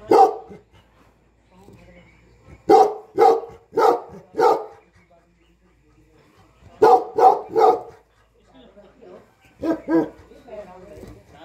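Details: Tibetan Mastiff, known as Bhote Kukur, herding and guarding a Nepali home and farm; three bursts of three to four deep barks separated by quiet stretches, with faint voices in between.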